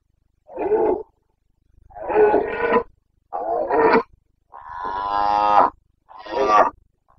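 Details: Red deer stag of the Carpathians roaring in the breeding season, Bucovina, 29.09.2022: five hoarse bellows in about seven seconds, the fourth longest and most drawn-out and tonal, others shorter and raspy.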